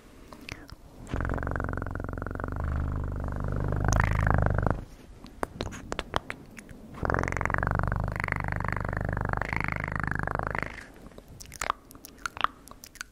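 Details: Cat purring close to the microphone for ASMR: two long stretches of low, vibrating purr, each lasting three to four seconds, separated by a quieter gap with soft rustles and clicks.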